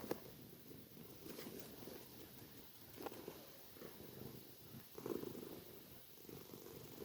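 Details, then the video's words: Tortoiseshell cat asleep and snoring loudly: soft, low rasping breaths in broad bursts about every second, with a louder breath near the end; quiet room with faint hiss. "Tortoiseshell Cat Snoring"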